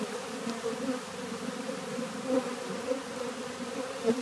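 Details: Many honey bees walking into a new hive hum together in a low, steady drone with a slightly wavering pitch, recorded on 7 March 2013 (or 3 July).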